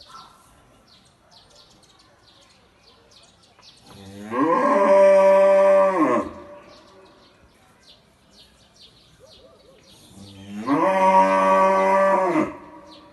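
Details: A black cow gives two long, loud moos, each swelling and holding steady for about two seconds.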